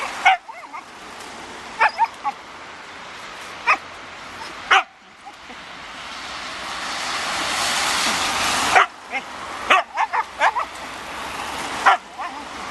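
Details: Siberian Husky Raign worked up over a ball: scattered sharp barks in short clusters, separated by a long stretch of loud rushing hiss, then more barks near the end.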